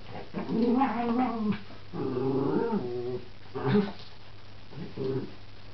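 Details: Miniature Schnauzer in a play fight with a Maine Coon cat, using a toy frog; drawn-out, wavering growls in two long bursts, then two shorter grumbling growls with gaps between them.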